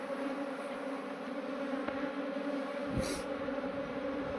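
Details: Honey bee swarm that had gathered in a cluster, being moved into a modern hive: a steady, even buzzing drone with a low humming tone throughout, broken by a brief sharp knock near the third second.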